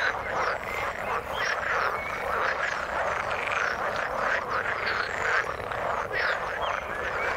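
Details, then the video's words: Steady frog chorus from the water, dense rattling croaks overlapping without pause, punctuated by quick bright upturned chirps from individual callers. "Frog sound in the water"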